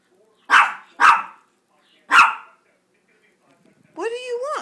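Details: Pet Chihuahuas, Gracie and JakeJake, begging for a treat. Three crisp yaps, the first two close together, are followed by a rising-and-falling whining howl.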